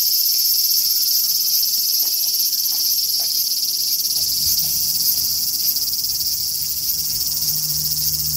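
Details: Large brown cicada singing in summer, a relentless high sizzling buzz with slight swells in loudness, plus faint low hum and scattered soft clicks behind it.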